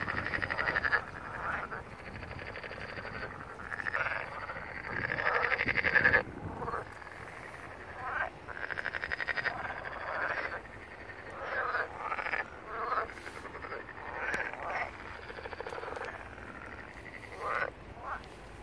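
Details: Spring frog chorus on 1 April 2022 in a wetland beneath a coastal hill in Barletta, Puglia, Italy: bursts of fast rattling croaks, a long pulsed trill early on, then many short repeated calls against background wind.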